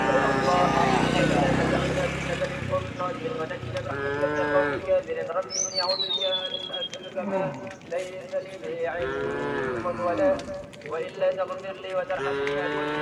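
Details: Thousands of domestic cattle walking slowly toward their resting place, a loud low moo at the start followed by many shorter overlapping moos from the herd, with a whistling bird and steady rural background noise.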